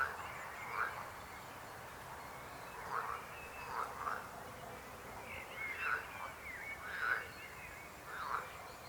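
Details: Frogs croaking in a chorus of short, rough, mid-pitched bursts that come at irregular intervals, often in pairs, every second or two, over a steady low background hiss.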